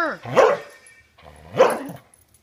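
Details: Border Collie being dog-sat, refusing to give its ball back and 'talking': two loud, drawn-out vocal grumbles with sweeping, bending pitch, about a second apart, in a quiet room after a woman asks whether it will give it back.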